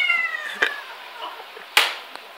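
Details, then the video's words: Female domestic cat yodelling: a short wavering meow that slides downward, followed by clicks and a sharp knock. "the cat can Yodel!"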